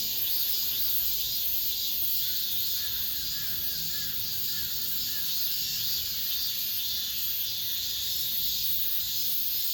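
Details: Last cicada chorus of the summer within an apartment complex: a constant shrill hiss with gentle pulsing, and a faint chirping call briefly audible beneath it in the middle.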